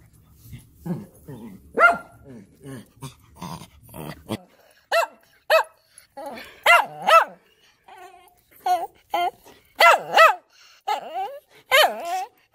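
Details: Excited German Shepherd barking and annoying its puppies; a person talks at first, then a run of loud, sharp, repeated barks and yelping howls, often in pairs, with growl-like tones between bursts.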